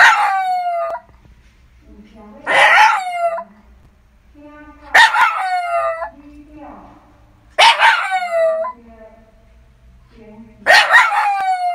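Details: Shiba Inu dog at home giving loud, harsh barks that trail into whining, falling tones, about four bursts spaced two to three seconds apart, with quiet gaps and low rumbling background between.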